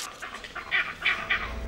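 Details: Vervet monkey leopard alarm call, a signal that sends the troop dashing for the thinnest canopy branches out of a leopard's reach; short, harsh barking bursts, about three in under two seconds, with a faint murmur behind.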